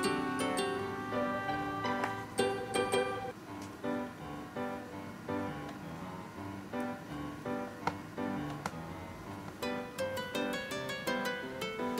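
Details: Gentle plucked guitar and piano music plays throughout, with bright chime-like notes, and no animal voice.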